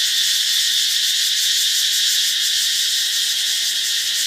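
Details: Katydids calling loudly in the middle of the morning near a beach in Thailand, a relentless high, hissing buzz pulsing roughly three times a second, even in volume and without breaks.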